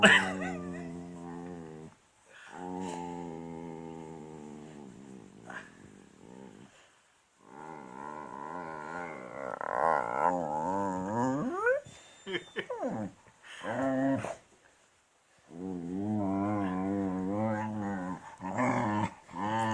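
A beagle voices its displeasure at a tummy rub with drawn-out, warbling groans and grumbles that rise and fall in pitch. The complaints come in bursts separated by short pauses, some sliding upward into whiny yodels.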